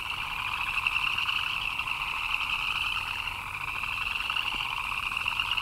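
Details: Frogs chirping in the rain: a dense, unbroken chorus of fast pulsing chirps layered at two pitches, a mid buzz and a higher shrill band, holding steady throughout with a soft background hiss.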